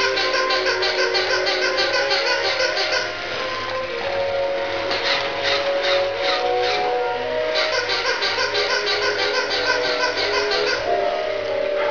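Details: Upbeat music plays continuously with a few faint voices beneath it and no animal sounds.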